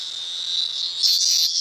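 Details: Loud, continuous high-pitched cicada buzz from an insect held in a pet dog's mouth at night. The whine swells and grows harsher in its second half, with no other sounds competing.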